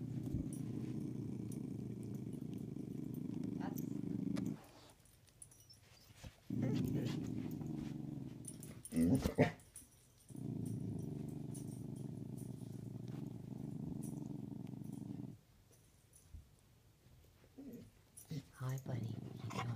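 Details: Playing hide and seek, Karma the corgi and Thor the pitbull produce long, low, rumbling growls from under the bed, each lasting several seconds, separated by short quiet gaps with soft human voices and rustling.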